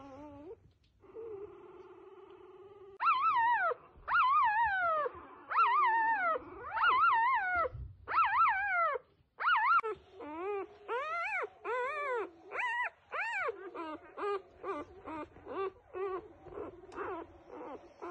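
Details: Newborn F1B standard Goldendoodle puppies whimpering and squealing: high, wavering rising-and-falling cries repeated in quick succession, some drawn-out, with a low steady hum beneath in the opening seconds.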